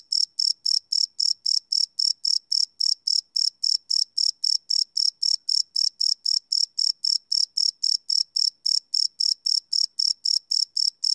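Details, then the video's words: Live night recording of crickets made on a Sony PCM D100 field recorder, high, ringing chirps following one another quickly and evenly, about four each second, with a faint lower hum and no other noises. "Cricket Chirp Sound - Cricket Sounds at Night"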